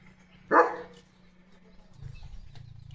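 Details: Single short, forceful bark from a German Shepherd calling its owner, followed by quiet and a low rumbling hum.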